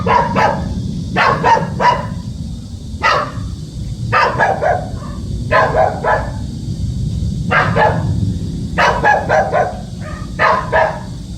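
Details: Dog guarding its home barks steadily for over ten seconds, sharp barks often doubled or tripled in quick succession, while music plays continuously in the background.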